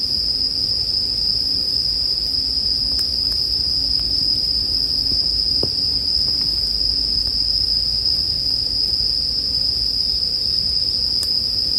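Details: Bell cricket chorus ringing as a constant high, metallic tone without pause, with only occasional campfire pops and a faint low hum beneath.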